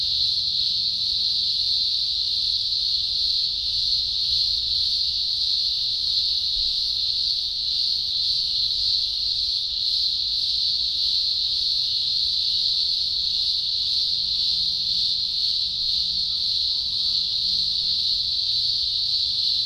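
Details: Thousands of green grocer cicadas at a large emergence in the Blue Mountains, Australia, early October 2020, producing an unbroken, deafening high-pitched drone with slight wavering throughout.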